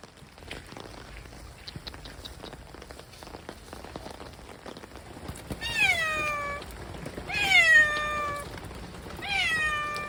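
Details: Stray cats outdoors during heavy rain; after several seconds of steady rainfall, three loud descending meows come roughly every one and a half to two seconds, each starting high and sliding down.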